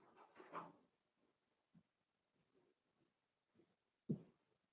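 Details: Cavalier King Charles Spaniel puppies, four weeks old, in an indoor pen on a livestream of Daisy's litter: a short murmuring burst, then scattered soft grunts and one sharp yelp near the end, in a quiet room.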